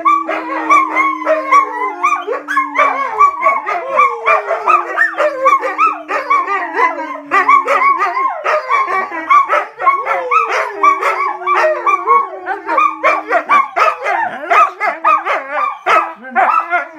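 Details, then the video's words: Wolfdog pups growing up alongside a husky join in a howling and talking session, several long, slowly sliding howls repeating every few seconds beneath a dense layer of higher warbling cries, whines and short yips. "The Pups Wolf Dogs Howling and Talking"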